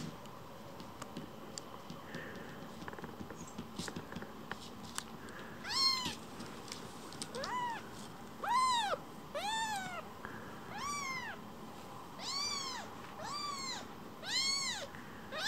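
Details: Young rescued kitten seeking affection, coming straight back to be stroked: after six quiet seconds, a run of about ten short arched meows, roughly one per second, rising then falling in pitch, over low room noise.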